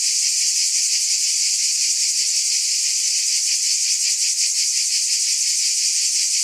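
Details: Cicadas in a dense, unbroken high buzz that pulses faintly about three times a second, steady in loudness throughout, with no other sounds.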